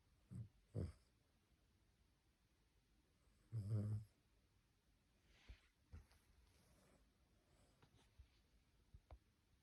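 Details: Puppy asleep indoors: two short snorts, then a longer rattling snore lasting about half a second, followed by faint breathing and small clicks in a quiet room.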